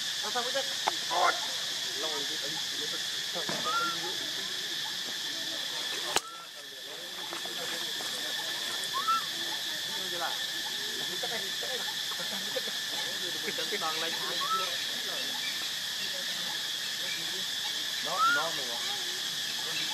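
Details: Baby monkey giving short arched whistled cries, each rising then falling, at irregular intervals of a few seconds across the clip. A steady, loud, high insect drone runs underneath throughout, with one sharp click partway through.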